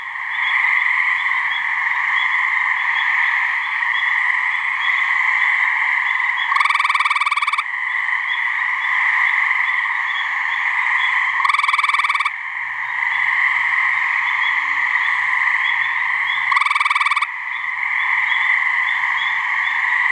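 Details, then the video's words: Gray treefrogs, a couple of males calling to mate in a swamp in New Hampshire, give three rapid rattling trills of about one second each, roughly five seconds apart, above a constant buzzing background chorus. "Gray Treefrog mating call"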